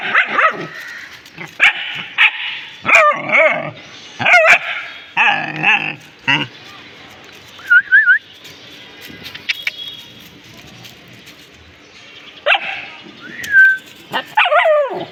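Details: Several pet dogs bark excitedly at something they found, with rapid clusters of high, harsh yips in the first seconds, a quieter stretch with a faint whine, then renewed barking toward the end.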